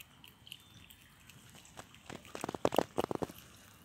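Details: A squirrel named Frany eating pecans: quiet at first, then a burst of sharp, crunchy bites and gnawing clicks in the second half, with faint room background.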